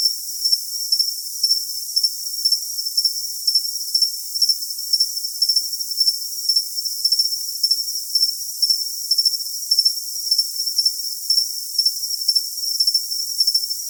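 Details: Cricket calling with a sustained piercing trill and pulsing chirps close to twice a second, slightly irregular. Nothing else is heard in the high-only, filtered sound.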